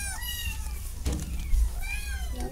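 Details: Domestic cat meowing indoors: two drawn-out harmonic meows, the first falling and the second arching up then down, over a steady low hum with a brief thump between them.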